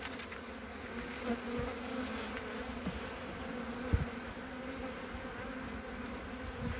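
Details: Colony of honey bees on three frames, inspected on 14 February 2021 amid capped brood; a continuous mid-low humming buzz holding a steady tone, with occasional sharp taps from the hive.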